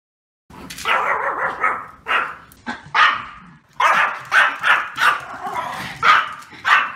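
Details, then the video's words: Male Pomeranian barking: sharp, high yappy barks in irregular bursts, some doubled or tripled, after a brief silence at the start, roughly 35 per minute. "Male Pomeranian Do Barking Sound Effect"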